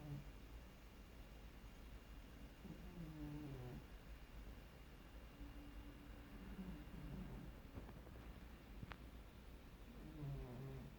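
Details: Carolina the cat snoring very quietly, a light grunting noise: faint, low, rough snores recurring every few seconds against a steady low background hum, with a single soft click partway through.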